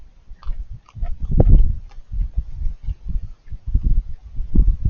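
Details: Raccoon crunching food while it eats, repeated crackling bites and wet smacking in uneven clusters, loudest early on, then steadier chewing toward the end.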